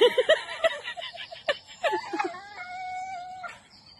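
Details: Dogs playing and having fun, giving short high yelps early on, then a long, steady, whistled whine holding level with a slight wobble before fading.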